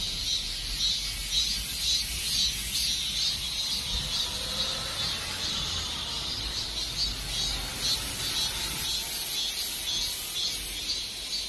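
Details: Cicada chorus at summer's end, an unbroken high buzzing wash pulsing in regular beats about two per second, slightly louder early on, over a quiet low rumble.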